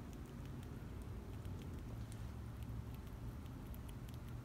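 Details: Squirrel eating up close: soft, irregular crunching and gnawing clicks scattered throughout, set against a steady deep low rumble in the background.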